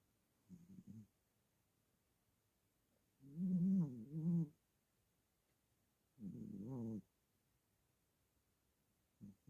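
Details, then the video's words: Sleeping cat snoring in low, rough bursts, each lasting about one second and repeating roughly every three seconds, in an otherwise quiet room. "Snoring cat"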